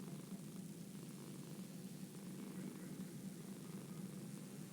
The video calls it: The sound of a cat purring, a sound only a select few can hear.